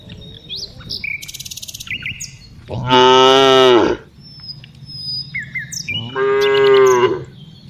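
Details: Tame cows being herded in the afternoon; two loud, drawn-out harmonic moos about three seconds apart, each lasting roughly a second, with small birds chirping and tweeting in between.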